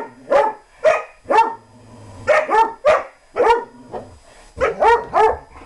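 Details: German Shorthaired Pointer barking while romping and chasing another dog, with a loose rhythm of single and doubled yappy barks and brief quiet gaps between them.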